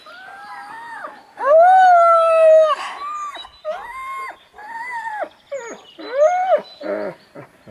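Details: Alaskan Malamutes at home at Mežpils in Latvia, getting ready with backpacks before a five-hour hike. A series of loud, sliding howls and woo-woo vocalizations: long drawn notes with strong harmonics, then shorter rising-falling yodels.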